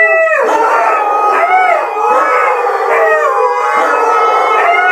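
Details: A male Siberian husky (Canis lupus familiaris) is overwhelmed by three females in heat. The huskies give courtship howling together, long wavering voices that slide up and down and overlap.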